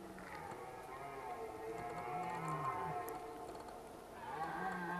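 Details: Red deer stags roar during the rut at Zvārde, giving deep drawn-out bellows that overlap one another.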